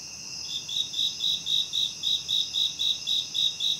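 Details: Night insects: after a brief lull, sharp high chirps start and repeat steadily about four per second above an unbroken piercing trill and a softer lower drone.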